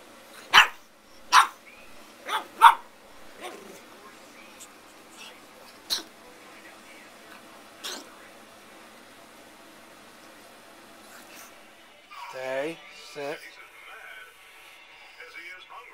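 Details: Pug puppy at 12 weeks old, indoors, giving a short series of sharp, high yapping barks at irregular intervals during the first few seconds, followed by quieter isolated yaps and a person talking near the end.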